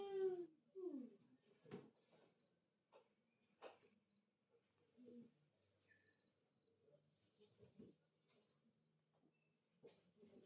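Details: Domestic cat meowing indoors: a loud opening meow with a falling harmonic sweep, then a second shorter meow, followed by a long stretch of faint, scattered soft sounds and light household noise.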